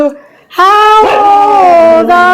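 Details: A nine-year-old female Siberian husky "sings" on her birthday amid a birthday song, giving a long, tuneful howl that wavers slightly in pitch.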